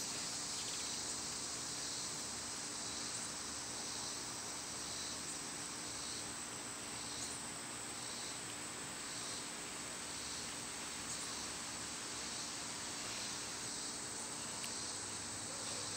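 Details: Cicadas singing in summer, when they are loud: a steady high buzzing drone that swells in soft pulses about every second and a half, over a constant thin high whine and low outdoor rumble.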